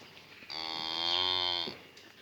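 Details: Calf in its new pen lets out a single steady, nasal moo of just over a second with strong high overtones, starting abruptly and ending cleanly; quiet background.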